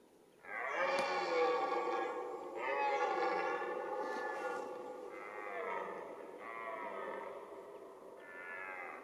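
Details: Red deer stag roaring during the rut, the mating season: a series of loud, rich harmonic roars in bursts of about two seconds each, five or six in a row, gradually weakening toward the end.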